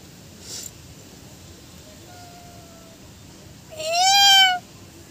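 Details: Kitten or cat meowing to attract other cats: a faint level tone first, then one loud, bright, slightly arching meow rich in overtones near the end, preceded by a short soft noise burst.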